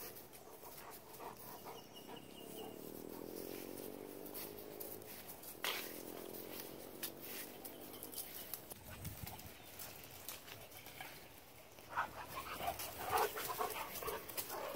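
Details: Tiger, a 9-month-old brindle Great Dane mix puppy, gives drawn-out, wavering tonal whines in two long stretches, each lasting a few seconds, followed by scattered knocks and rustling near the end.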